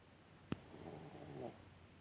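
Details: Yorkshire Terrier named Alice asleep on a warm heating pad, snoring softly: a low rumbling breath with faint tonal harmonics stretching about a second, preceded by a sharp click, in a quiet room.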